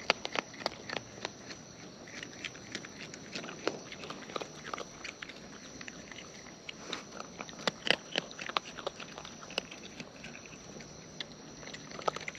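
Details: Raccoons in the wild feeding at close range: a dense, steady run of crisp clicking and smacking chews, many small sharp ticks every fraction of a second throughout.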